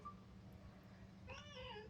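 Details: Domestic cat giving one short, falling meow near the end, quiet against a steady low hum and room noise, with a faint chirping insect in the background.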